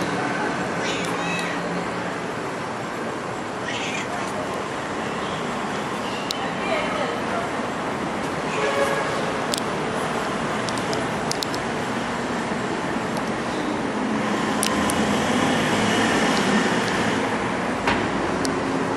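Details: Playful stray cat, happy to follow along, giving several short harmonic meows spread through the recording over steady street traffic rumble, with occasional clicks and knocks.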